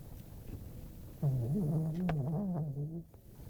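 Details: Pet dog, female, snoring in her sleep indoors; a low, wavering, whistle-like drone with faint harmonics rises after a quiet start and holds for about two seconds before fading.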